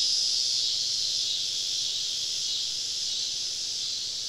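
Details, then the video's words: Cicadas in a summer evening chorus deep in southern woods during a camping trip: an unbroken, high-pitched droning hiss, even in level throughout, with no other clear sounds. "Southern Evening Summer Cicada Symphony"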